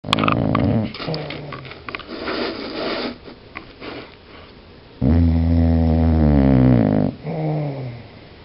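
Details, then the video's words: Buscuit, a pet dog, snoring in its sleep: rough, rumbling snore breaths, then a long two-second throaty groan followed by a shorter rumble, recorded close up in a small room. "Buscuit snoring"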